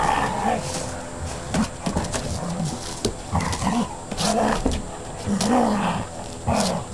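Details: Play-fighting pair of dogs, an Akita and a border collie/Labrador/bull terrier cross, growling in short rising-and-falling rumbles about once a second, mixed with sharp knocks and thumps from the wrestling.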